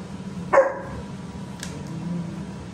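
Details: Active puppies making their parents mad, recorded 8-7-2024: one short, sharp bark near the start, followed by a steady low hum and a couple of faint clicks.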